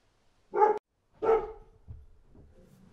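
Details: Outdoors, a dog gives two short, deep barks in quick succession, followed by a faint low rumbling and soft trailing noise.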